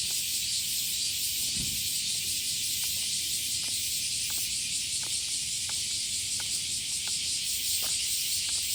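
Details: Cicadas in full summer chorus during a morning walk in Japan amid heat that stays above 25 degrees even at night; continuous high shrill droning, unbroken throughout, with a brief low thump and light clicks.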